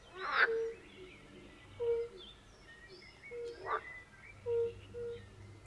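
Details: European fire-bellied toads at a forest pond give short, low, tonal 'oop' calls about once a second. Two loud, broadband croaking bursts from pool frogs cut across the chorus.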